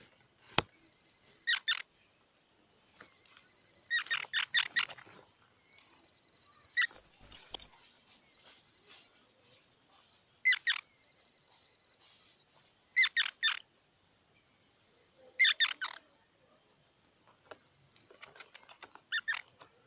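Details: Squirrel chatter, quieter and more spaced: small bursts of three to six dry chucks every two to three seconds, one high squealing note midway, otherwise silence.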